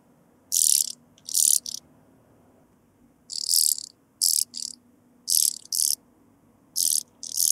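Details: Blue-winged sand grasshopper, Sphingonotus caerulans, at Bernstein, Austria, on 2 August 2023, picked up with a Pettersson D 100 ultrasound detector after noise removal. Very high, hissing rasps about a third of a second long come mostly in pairs, with brief pauses between them.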